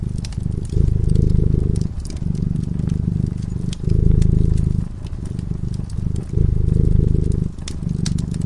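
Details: A sleeping cat by a cozy fireside purrs steadily, its low throbbing rumble rising and falling with each breath about every second or two, while the fire snaps and crackles in the background.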